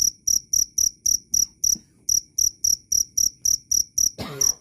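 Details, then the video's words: Sharp, high cricket chirps in a quick regular series, broken by a short gap near the middle, then a brief scraping noise near the end before chirping resumes. "Suara asli jangkrik Keras dan jernih"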